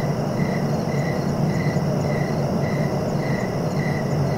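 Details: Steady cricket chirps, evenly spaced short high pulses about every half second, seven in a row, against a continuous deep rumble.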